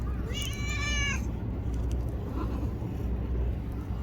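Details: A little tortoiseshell stray in Japan, black and brown, sits by a person and is stroked; one strong, level, harmonic meow about a second long opens, followed by a faint soft mew amid steady low outdoor noise.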